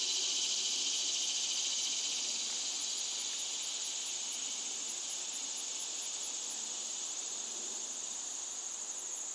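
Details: Cicadas singing a loud song: a continuous, shrill high buzz with a fine rapid pulse, holding steady and fading slightly over about nine seconds above a faint low background hiss.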